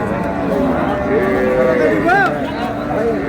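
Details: At Ambari haat in Dinajpur on 20 February 2026, cows with calves low among traders: wavering, rising and falling moos overlap for several seconds, mixed with men's talk and bustle of the cattle market.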